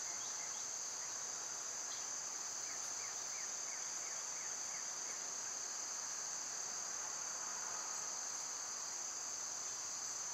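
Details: A continuous, high, hissing drone of cicadas on a summer day, with a short burst of rising chirps near the start and a series of about seven more around three seconds in.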